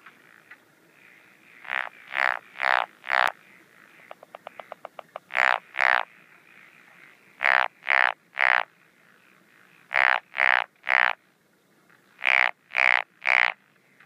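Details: A Japanese wrinkled frog calls at night in the breeding season, among paddy fields and ponds, on 17 June 2013, giving groups of three or four rasping, creaky notes; this species has several call types.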